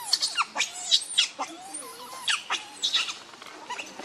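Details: Hungry baby monkey Leo, called Rainbow, cries to its mother for milk: sharp, high squeaks and short whining chirps in uneven bursts over several seconds.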